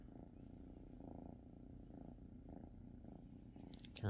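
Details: Domestic cat purring steadily, a low rumbling drone that swells and fades in soft pulses about every half second, with a brief rustle at the end.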